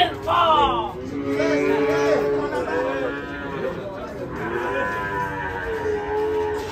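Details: Cattle rampaging and falling into a ditch while coming down from a truck: loud drawn-out moos with arching, wavering tones, the first rising then falling, followed by a longer sustained bellow and a final lower moo, over steady background noise.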